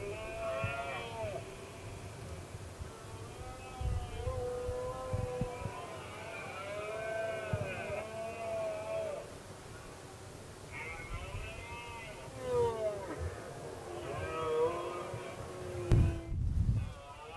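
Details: Red deer rut in 2016, with one male going around provoking rival stags and the dominant stag answering; a long series of arching, harmonic roars follows almost continuously, overlapping at times, above faint low background rumble.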